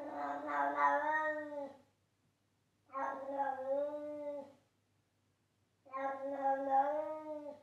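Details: Pet domestic cat meowing loudly: three long, drawn-out, harmonic-rich meows of nearly two seconds each, steady in pitch, one about every three seconds with silent gaps between and a faint low hum underneath.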